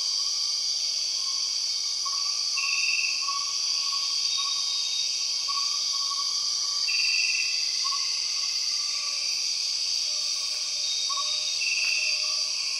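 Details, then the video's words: High, continuous buzzing of empress cicadas fills the Borneo jungle, swelling into brief louder bursts about every four to five seconds, while quieter lower whistles and chirps from other forest animals sound underneath. "The weird sound of empress cicadas"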